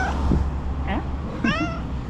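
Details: Tuxedo cat named Tuxie, a female, meowing loudly as she runs toward her owner on seeing her; a short harmonic meow near the end follows fainter sounds, over a steady low hum.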